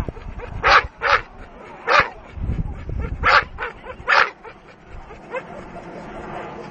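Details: Dogue de Bordeaux on the attack, loud broad barks at irregular intervals of about a second, with low rumbling noise in between and softer barks trailing off at the end.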